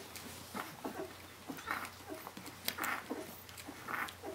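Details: Brenda's puppies, seventeen days old, crying for their mother, with three clear, drawn-out high squeals spaced about a second apart among softer, scattered whimpering.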